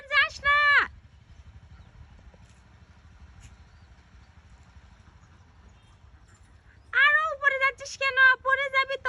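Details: Maira the cat, climbing higher up a tree, gives two separate clear, strongly voiced meows about six seconds apart, the second longer and wavering; quiet low background rumble between them.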